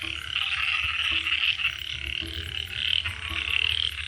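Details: Dense frog chorus: many overlapping, rasping croaks merging into a steady, bright buzzing wash that swells and fades every second or so, with a low continuous rumble underneath.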